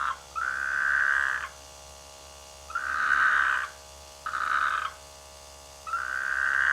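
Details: Frog croaking in rice fields near a village in the rainy season: long, buzzy, mid-pitched calls lasting about one second each, separated by pauses of roughly a second, over a faint low hum.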